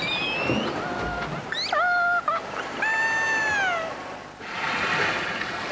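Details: Transient killer whale giving two soft, wavering harmonic contact calls typical of transients, used at low volume to keep group members in touch while foraging or just swimming.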